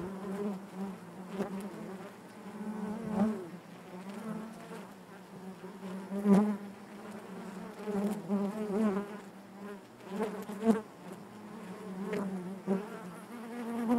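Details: Honey bee colony humming in its hive: an unbroken low buzz with rich overtones, rising and falling in waves, punctuated by occasional sharp taps and brief louder peaks.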